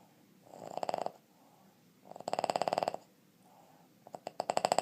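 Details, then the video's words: A 2.5-year-old male Boston Terrier from West Chicago, Illinois, snores in rattling, rapidly pulsed bursts that sound almost like a woodpecker drumming. "Is That A Boston Terrier Snoring Or A Woodpecker?"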